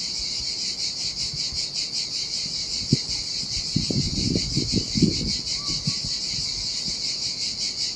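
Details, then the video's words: On a desolate Sardinian beach in summer heat, cicadas keep up a high, sizzling, gently pulsing drone while a burst of low splashing thuds from the waves breaks in midway. "Ocean Waves & Cicada Sounds - The Most Relaxing Waves Ever - Cicadas by the Sea"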